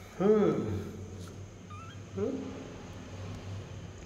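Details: Pet cat giving two short meows, the first rising then falling in pitch, the second briefer and quieter about two seconds later, with low background hum and faint room noise.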